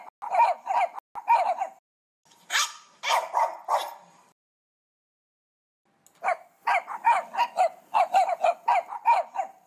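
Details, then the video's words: Eight puppies, as counted aloud, yip repeatedly in short high-pitched barks, bunched in fast runs, with a silent two-second pause before another lively string of yaps. "là những con chó con. Con chó con kêu thế nào?"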